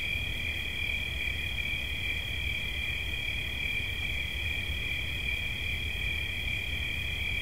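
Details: A cricket's shrill, evenly pulsed chirping runs without a break, pitch unchanging throughout, accompanied by low droning noise, part of a relaxation recording.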